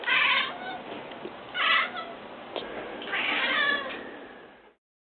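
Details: Domestic cat giving three loud, harsh meows spaced about 1.5 seconds apart, in muffled, band-limited sound with background hiss.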